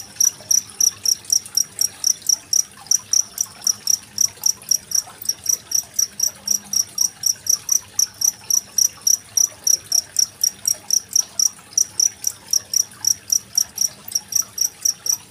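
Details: Masteran cricket recording from 25 February 2023, used as tutor sound for contest songbirds like the murai; a long run of bright, high-pitched chirps repeated about four times a second over a gentle trickle of water.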